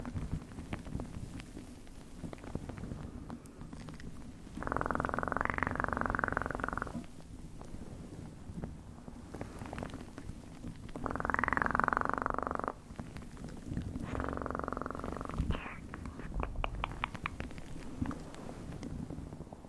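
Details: Domestic cat purring in bursts: low, rough, rapidly pulsing rumble that swells for a second or two around 5, 11 and 15 seconds, then fades to a soft, quieter purr between the louder stretches.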